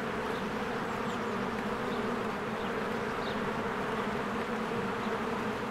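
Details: Steady droning hum of many honeybees working at a hive in spring, bees streaming in and out; a few faint high bird notes flick above the continuous buzz.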